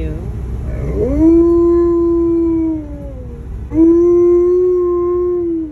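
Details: An Alaskan Malamute gives two long, wavering howls, each rising then sliding gently down, on the way home after his first visit since a dog cousin died; the owner hears it as emotional crying for lost friends.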